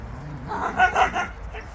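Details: Jindo dogs out on a free walk; three short barks close together mid-clip, followed by a fainter fourth, over a low rumbling background.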